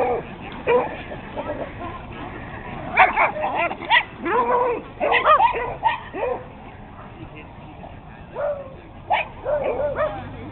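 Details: Dogs chasing each other in play, a mix of beagles, a Boston, a Jack, a Chihuahua and a Puggle; high excited yips and short barks tumble over one another in busy bursts, with voices mixed in.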